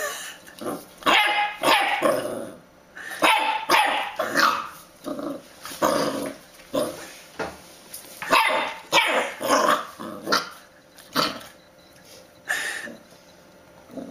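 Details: Puppy barking persistently: rough, noisy yaps and bursts come in quick irregular clusters, some run together, with brief gaps and a steady faint hiss behind.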